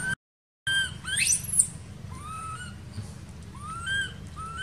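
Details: Young monkey of an archaeological park crying without its mother's attention: a short cut, a sharp rising squeal, then three thin, curved, whistled wails spaced about a second apart over low background rumble.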